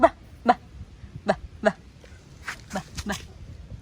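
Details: Pomeranian puppy letting out four short, sharp, high-pitched yips within the first two seconds, then a run of softer, whiny squeaks and fainter yelps, over low background noise.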